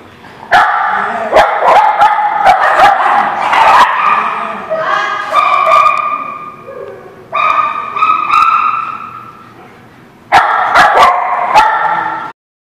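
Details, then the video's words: Dog barking and yipping in bursts, harmonic barks with whimpering tones, three main bouts separated by short pauses; speech-like vocal sounds mixed in. "The Barking Lot"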